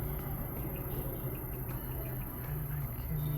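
A low, steady rumble like distant traffic or a running engine, with no animal voices.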